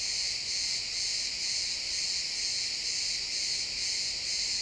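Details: At sunset in a pine forest, crickets produce a steady, high, ringing chirp chorus pulsing around two times per second, recorded in high-quality XY stereo.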